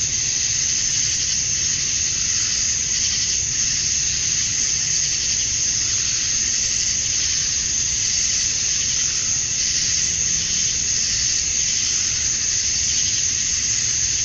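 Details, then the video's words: Cicadas at dusk on a summer night in Georgia, USA, males chirping to attract females; a dense, steady high-pitched hiss-like drone with gentle pulsing swells, unbroken throughout. "Cicadas at Dusk, Summer Night"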